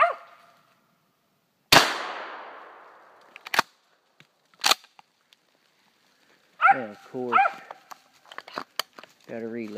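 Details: Atomic Fury, a female dog just turned one year old, treeing a gray squirrel in South Georgia; a sharp gunshot rings out, then a few ringing barks and a drawn-out wavering bay follow, with a man talking nearby.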